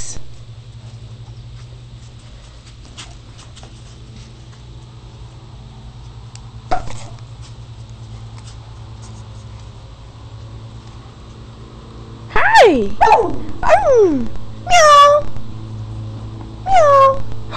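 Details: Puppies Max and Molly playing with toys indoors: quiet knocks and taps, then a burst of high, sharply falling whines and yelps, several in quick succession, over a faint steady hum.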